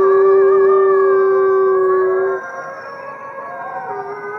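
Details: Howling chorus of fifty captive gray wolves at the Wolf Conservation Center in South Salem, New York: a strong, steady low howl fades after two seconds, leaving softer overlapping wavering howls beneath.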